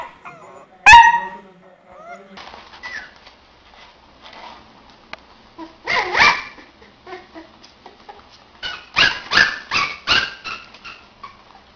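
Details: Puppies yapping: one loud sharp yelp early, scattered faint whines and sniffs, then a burst of several rapid high barks near the end.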